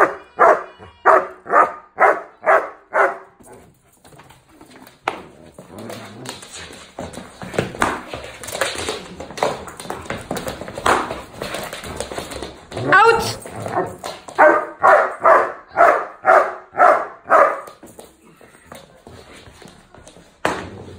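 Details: Doberman puppy barking on command during hold-and-bark training: bursts of rhythmic barks about twice per second at the start and again near the end, separated by a noisy stretch with scuffling and voices.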